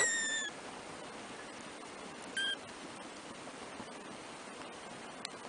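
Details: Three-week-old black kittens, first-born litter of four from the cat Trisya; two short high-pitched mews, one at the start and one about two seconds later, over steady background hiss.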